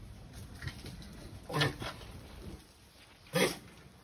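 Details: Mating sulcata tortoise with two short, breathy grunts about two seconds apart, the second sharper and louder, against low background noise.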